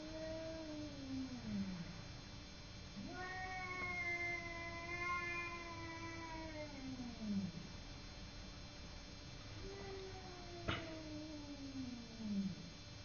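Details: Simba, a domestic cat, fighting with a neighbour cat: three long, drawn-out yowls, each wavering and then sliding downward with rich harmonics, separated by brief pauses, plus one sharp click near the end against a steady background hum.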